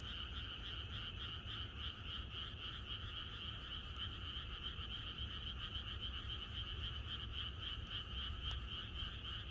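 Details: Night chorus of countryside frogs ahead of rain, a dense, unbroken pulsing drone of overlapping croaks at a rapid beat, with a faint sharp click near the end.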